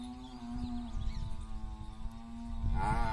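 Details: Water buffalo, a buffalo cow and young bull attempting to mate in a village: a long, steady, low droning moo held for nearly three seconds, then a higher, rising, strained call at the end, with rustling background noise.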